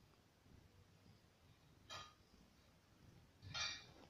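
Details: Pet cat Pityuka lying on her owner's stomach while being petted, five days before her death, on 1 November 2018, seeming at peace; a soft, low rumbling purr pulsing with each breath, broken by two brief rustles of handling.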